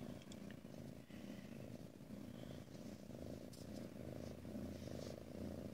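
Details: Purring female Ragdoll kitten, content alone in her space at a home cattery in central Kansas: a continuous deep, evenly pulsing rumble with faint handling noises and light rustling indoors.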